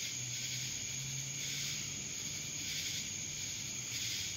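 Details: Droning cicada chorus recorded in Dallas, Georgia; a loud, unbroken high buzz that swells slightly in slow pulses, with a thin steady tone and a low background hum.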